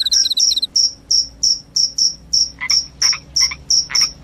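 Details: Cricket chirps said to scare off rats and make one sleepy: crisp high pulses repeated about three per second, evenly spaced, with some lower broadband clicks joining the later chirps.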